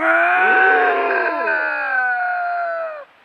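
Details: During a fight between two bobcats in the Southern Sierra Nevada mountains, a sustained, rich, harmonic yowl runs about three seconds with slight wavering pitch and rough undertones before cutting off abruptly.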